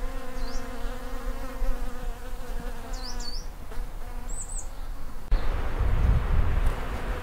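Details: Honey bees feeding on Daphne bholua shrubs in a garden on the first of February, close to their hives; a continuous buzzing drone with banded tones, high bird chirps overhead, then a louder rumbling stretch near the end.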